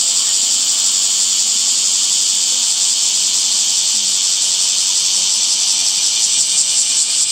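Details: Summer cicada chorus in a leafy setting: a continuous shrill hiss-like buzz, high and even, running without pause from start to finish.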